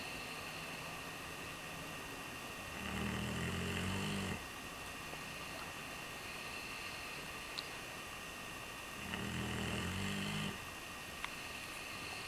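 A sleeping Redbone Coonhound snores in slow, low rumbling breaths about six seconds apart.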